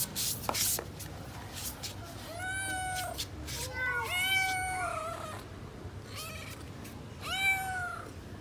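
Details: Hungry kitten searching for its parent cats at home, giving a series of high, arched meows with rich harmonics, several overlapping, from about 2 to 8 seconds; sharp clicks and knocks at the start and low background noise.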